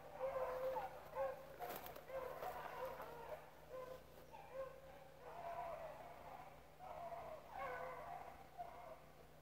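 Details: Rabbit-chasing dogs and pups at Relay Hunt club give quieter, more distant bays in short pulsing bouts, several voices overlapping. A constant low hum runs underneath.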